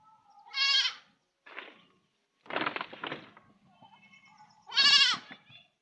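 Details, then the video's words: Baby goat kid crying: short harmonic bleats mixed with rougher, noisy vocal sounds and a faint low hum, ending in a louder wavering bleat. "Beby goat sound effect goat beby crying cute goat beby speaking."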